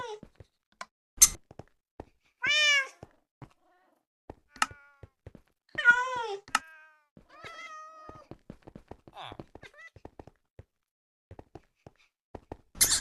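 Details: Cats talking to one another indoors: short wavering meows and brief chirping calls, some rising then falling, between frequent tapping and knocking sounds.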